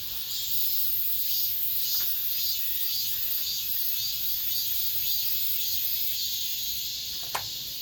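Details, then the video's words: End-of-summer cicadas in an apartment complex, heard as an unbroken high electric whine with rhythmic throbbing surges and a sharp click near the end. "올 여름 마지막 매미소리"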